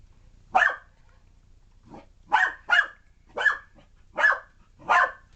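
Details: Puppy named Alphie barking while chasing a remote control car: six sharp, broadband barks spaced irregularly over five seconds, with a quiet gap near the start.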